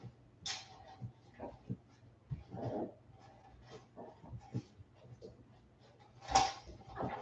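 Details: Forty-seven-day-old West Highland White Terrier puppies indoors after an outdoor break: scattered short whimpers and small yelps among knocks and clicks, with a steady low hum underneath.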